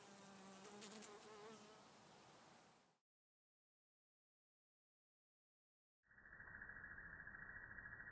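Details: A European honey bee, apparently stuck on a milkweed flower and trying to get free, buzzes steadily and low with a slightly wavering pitch, then pauses.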